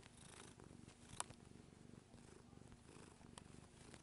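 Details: Adult female house cat nearly nine years old purring as she kneads; continuous low pulsing rumble fills the clip, broken by a brief sharp tap near the middle and light rustling.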